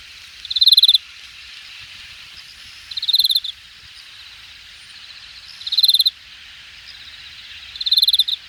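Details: Late-summer grass insects at Jamwon, Hangang Park, Korea, in August 2021, calling from the undergrowth: short, high pulsed chirp bursts roughly every two and a half seconds over a soft continuous high-pitched hum.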